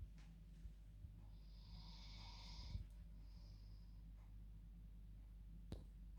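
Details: Sleeping female dog snoring in her bed at bedtime. One drawn-out wheezy snore is followed by a shorter, softer breath, with a constant low room hum beneath.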